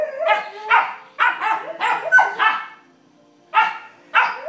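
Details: Vizsla puppies at play, Penny discovering her bark: clusters of shrill, harmonic-rich yaps, a short silent gap, then two more high barks.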